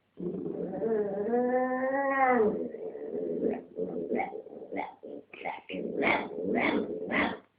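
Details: Pet dog guarding a dog chew between her paws while another dog tries to take it, making a strange racket; a long, wavering, moaning whine lasting two seconds, then a rapid series of short, rising yelps and grumbles.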